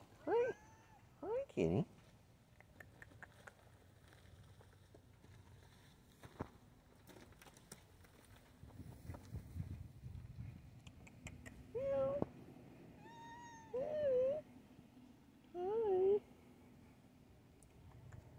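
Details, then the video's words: Black and white tuxedo cat that lives wild at a shop, strolling in and demanding food and attention: short meows at the start, then a quiet stretch, then three rising-falling meows spaced about two seconds apart, with a man speaking softly. "Mustachioed shop cat strolls in demands food and attention."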